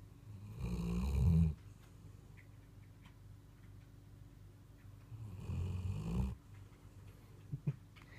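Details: A Weimaraner named Blue, asleep, gives deep, rumbling snores, one long breath roughly every four to five seconds.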